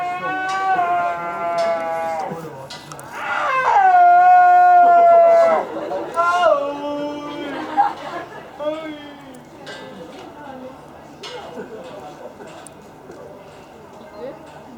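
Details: Snow leopard named Yamato, captive at Asahiyama Zoo, recorded 6 December 2011, gives a series of drawn-out, tonal wailing calls. The longest and loudest, sustained and slightly falling, comes near the middle. Quieter call fragments follow over a low background hum.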